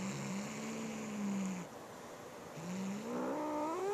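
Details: Boo, a male house cat, growls at his little sister Molly to guard a new feather toy he won't share; two long, low, droning growls, the second one rising and climbing in pitch at the end, indoors.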